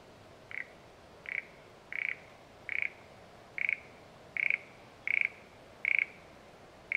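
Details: Frog calling in the satoyama countryside: short pulsed notes near one pitch, each a quick rattle of clicks, repeated roughly every 0.8 seconds in a steady series over faint background hiss.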